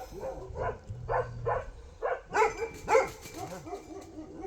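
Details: Bhote Kukur dog in Nepal. A series of short, evenly spaced yelping calls builds to two louder, sharper barks near the end. A man's voice is heard softly beneath.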